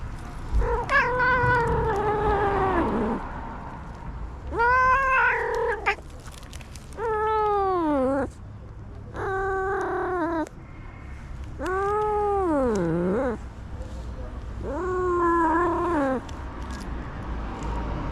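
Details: A male tabby stray cat makes interesting sounds when touched, giving a series of long, drawn-out meows, each wavering and sliding in pitch.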